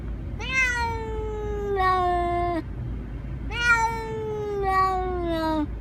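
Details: Domestic cat meowing: two drawn-out, slightly falling meows, each swelling then trailing off with a brief second syllable, about three seconds apart, over a low background hum.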